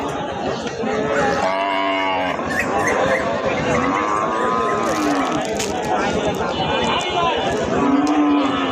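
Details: Cows and heifers at the Taherpur cattle market in Rajshahi, brought for Qurbani Eid: two drawn-out, harmonic moos, the first near the start and a second a few seconds later, over steady crowd chatter and men's voices.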